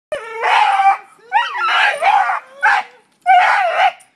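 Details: A dog attacking a tree for no known reason gives four loud, harsh, howling barks with wavering pitch, separated by short pauses.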